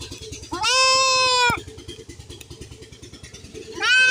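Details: Young goat kid during castration gives one loud, drawn-out, nasal bleat lasting about a second, then the start of a second bleat at the end, over a steady low rhythmic mechanical thrum.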